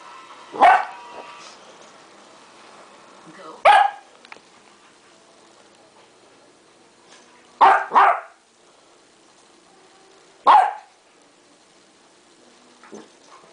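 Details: Young Westie Duke, aged 3.5 months, barks at tape during play: sharp single yaps spaced several seconds apart, one doubled bark near the middle, with quiet indoor room tone between them.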